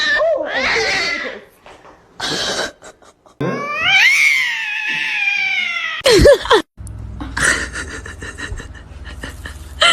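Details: Domestic cat in a funny cat compilation producing several meows in separate cut-together bits: a wavering meow, a longer falling cry, then a sharp short mew. Brief gaps and background noise fall between them.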